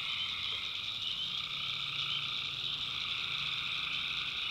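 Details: Tree frogs calling at night in a swamp in the backwoods of North Carolina: a dense, unbroken chorus of high trilling voices with a lower, steady buzzing band beneath, many callers overlapping with no pauses.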